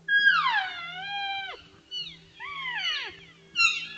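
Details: Cow elk in a large herd of cows and calves in Utah give high, squealing mews that slide downward, calling back and forth to keep in contact, recorded on trail camera on 17 July 2022.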